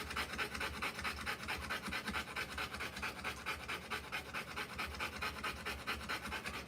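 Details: Rottweiler mother panting steadily while whelping a litter; rapid, very regular breathy pants, a little over two per second, loud and hissing through the whole stretch.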